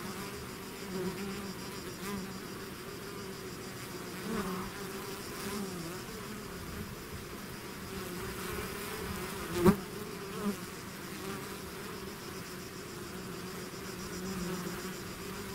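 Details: Bees swarm from their hive in a continuous droning buzz, several single insects whizzing close past the recorder in brief louder bursts over the constant hum.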